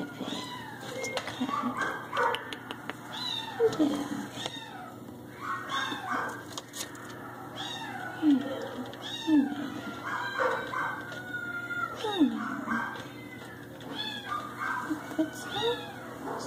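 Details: Domestic Shorthair cat, a female up for adoption that came in on July 22, indoors in a small room, giving repeated meows with falling and arching harmonic contours, several at a time, mixed with a woman's speech and handling noises.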